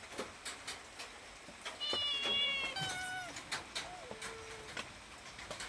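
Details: Domestic cat asking for food: a run of drawn-out meows, the first high and tonal with falling pitch, the later ones lower and longer, among sharp clicking and tapping noises.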